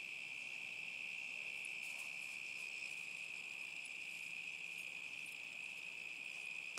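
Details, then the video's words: Crickets keep up a sustained, piercing trill through a summer night in 2010, steady in pitch and loudness, with scattered faint clicks above it. "Boston the boxer and crickets summer 2010"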